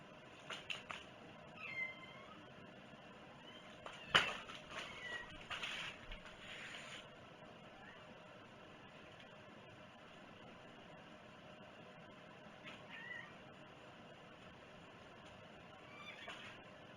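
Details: Cat giving a few soft, thin meows spread across the recording, with a burst of sharp clicks and rustling early on and quiet room tone between calls.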